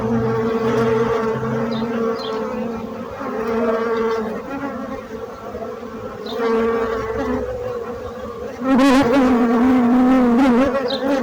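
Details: Bees buzz in a wavering drone that rises and falls, becoming loudest and most tonal as one passes close near the end, with faint bird chirps.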